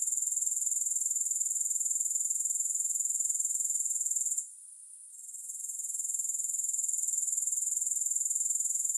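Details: High, hissing grasshopper trill with a regular pulse near four per second, no music; a brief silence falls midway, then the chorus gradually returns to full strength.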